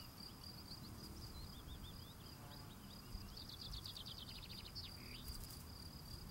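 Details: Field cricket keeps up a continuous high pulsed trill as he cleans his steps. Other birds chirp and warble nearby, fairly prominent over a low background rumble.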